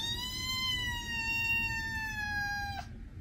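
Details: One long, sustained cat meow, steady and nasal with a slight downward drift in pitch, held for nearly three seconds before stopping abruptly.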